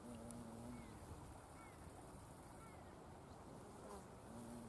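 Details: Violet carpenter bee, tentatively identified as Xylocopa violacea, at Buddleia, brown knapweed and sweet pea flowers: a low, droning buzz at real speed from slow wingbeats passes by at the start and returns at the end.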